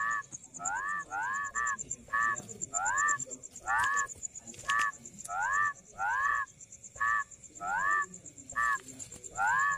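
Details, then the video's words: Rice field frog croaking in a steady run of upward-bending, buzzy-nasal notes, several in close pairs, accompanied throughout by a continuous shrill high whine and occasional clicks. "SUARA KODOK | SUARA KATAK SAWAH"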